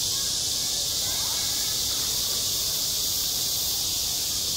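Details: Cicadas droning in summer at a school playground, an even, high, hissing chorus filling the short stretch, with only traces of distant voices below.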